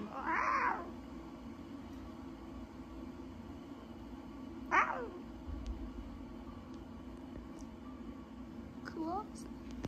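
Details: Newborn lion cubs at Taigan mewing: a strong descending meow at the start, another a few seconds later, then a faint wavering call near the end amid low room hum and soft human voices.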